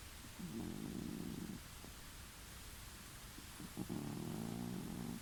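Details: Sleeping house cat snoring in a new home, audible from an adjacent room; two rough, low rasping breaths about two seconds apart, each lasting over a second, over constant low hiss.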